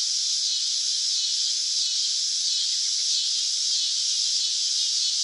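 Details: Unbroken shrill drone of a summer cicada, loud and constant from start to finish, a flat sizzling buzz alone.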